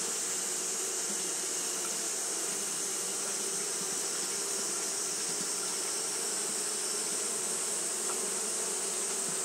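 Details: Japanese honey bees fanning their wings continuously on a hot day: a steady, dense hum with a low drone band and a bright hiss on top, many wings blending into one unbroken buzz.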